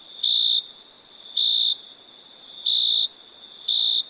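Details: Crickets at night: four piercing high chirp bursts at slightly irregular intervals, each a short dense trill, while a steady high drone continues beneath.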